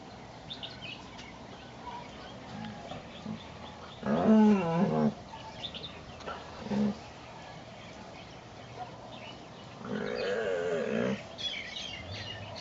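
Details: Great Dane puppy Brutus, eleven months old, pestering the other dogs Lucky and Piko while Lucy watches: two short bursts of harmonic, wavering, whiny-growly vocalizing about a second long, with a softer brief sound between them over a quiet background.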